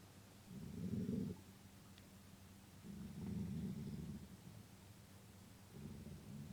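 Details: A gray wolf (Canis lupus) growls angrily in three long, deep, rumbling bursts, an aggressive warning that drives off another wolf, which flees; finding: Gray wolf.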